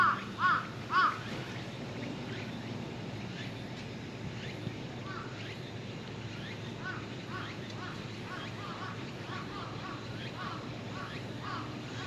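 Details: Cat beneath a truck calling out when approached, giving three loud arching meows in the first second, then a run of fainter short repeated calls over a steady low rumble of outdoor background noise.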